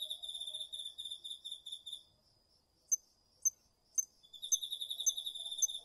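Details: Autumn night insects, including crickets, in a garden field recorded with a DR-40X: a high pulsed trill fades, three loud bell-like single chirps ring out about half a second apart, then trilling resumes with them.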